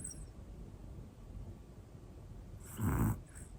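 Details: Hana, a one-year-old black female Pomeranian, snoring in her sleep: one short, rough, low snore rising out of quiet breathing near the end, with a soft hiss of room noise.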